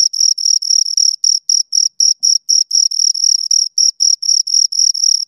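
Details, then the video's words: Two crickets chirping in a close recording: rapid, high, steady pulsed chirps repeated about four times a second, each a bright trilled burst with a faint higher overtone, no other sounds present. "Two Crickets Chirp Sounds for Two Hours Right on Your Ears"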